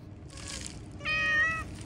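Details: Domestic cat outdoors meowing once, a single clear harmonic-rich meow about half a second long, level then slightly falling, after a brief hiss of noise; low background hum.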